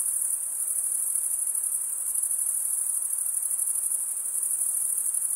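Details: Crickets stridulating, a steady dense chorus of very high-pitched shimmering trills that runs unbroken for the whole stretch with slight pulsing, over a faint soft hiss lower down; no other animals or voices.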